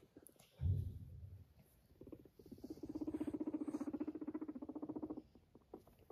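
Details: A pet guinea pig walks beside its owner and purrs, a low, fast, rhythmic throbbing that shows affection toward the owner.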